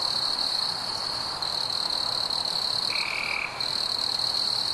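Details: Crickets on a warm summer evening keep up a steady, shrill high trill, briefly interrupted near the end, with a single short, lower tonal note just before the break.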